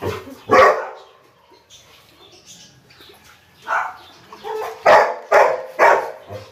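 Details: A Rottweiler meeting a duck barks in deep, gruff bursts, with a loud opening bark and a quick run of barks later.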